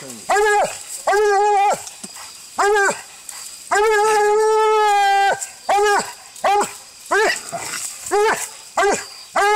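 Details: Walker hound in a fight while coon hunting, filmed on an Android phone: loud, regular barks about twice a second, broken by one long level howl lasting about a second and a half, then more rapid barks.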